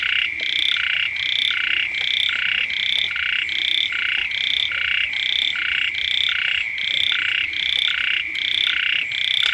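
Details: Near a house at the start of the rainy season, many frogs call together in a rhythmic pulsing chorus, bursts alternating in overlapping layers above a constant shrill tone.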